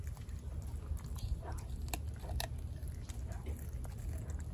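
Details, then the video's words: Denali, a 4-month-old female American Blue Bay Shepherd puppy, chews a raw turkey neck indoors; wet crunching and biting clicks come in irregular bursts over a low steady rumble. "Puppy Eats Turkey Neck | ASMR"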